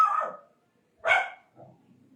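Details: Indian desi dog barking: a loud, rough bark opening the moment, then after a short pause a second sharp, harsh bark followed by softer low grumbling sounds.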